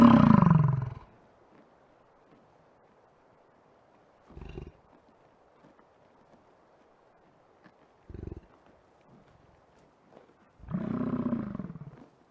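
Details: American bison at Yellowstone park giving a deep, gravelly bellow, then a few brief low grunts and a final drawn-out rumbling roar near the end; otherwise quiet.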